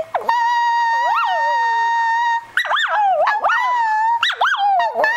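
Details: A Shih Tzu sings along as its owner sings "I love you", holding a steady howled note then breaking into rising and falling yodel-like swoops, mimicking the person's singing; owner says it sometimes sounds like "I love you".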